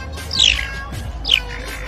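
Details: Caracal, one of a set of the most unique sounds in the cat family: two short, high-pitched squeaky calls, each sliding sharply downward, about a second apart, over a low steady background hum.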